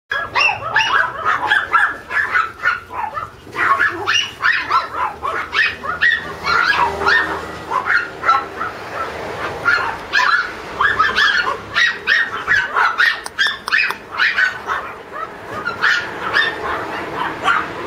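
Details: A red Toy Poodle puppy gives rapid, high-pitched yaps and little whimpering barks in quick succession.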